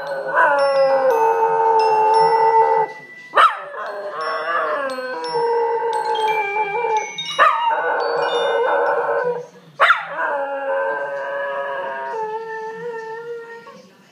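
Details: An 11-month-old miniature schnauzer howls along to a Harry Potter ringtone in long, wavering, sustained notes over the tinkling melody.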